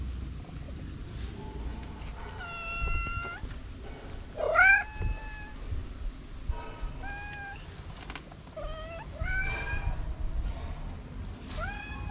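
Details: Orange male cat just up from a nap and yawning repeatedly, letting out a string of separate meows, some flat and drawn out, others rising and bent, spaced a second or two apart.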